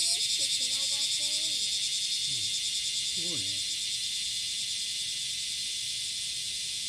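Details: At Passage de la Duee on the morning of July 30, 2017, a cicada courts with a loud, pulsing, high-pitched buzz that fades slightly, with short voices and a cat-like wavering cry early on.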